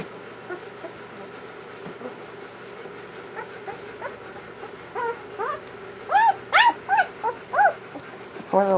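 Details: Newborn German Shepherd puppies of a first litter whimpering indoors; quiet scattered squeaks build to a run of louder arched, wavering cries about every half second near the end, over a faint constant hum.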